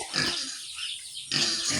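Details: Sows on a farm, two of them in heat and about to be artificially inseminated. Harsh, noisy high-pitched squealing in two bursts, separated by a short quieter gap.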